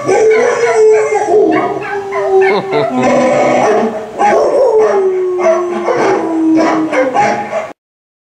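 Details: A pet dog howls to a Volkswagen commercial, giving long sliding howls that slowly descend in pitch, with the commercial's music running underneath until it cuts off.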